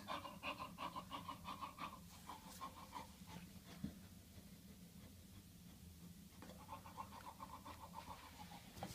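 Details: Bulldog with hives from an allergic reaction to a bee sting, panting in fast, rhythmic breaths of about three per second, with a brief quieter pause midway before the panting resumes.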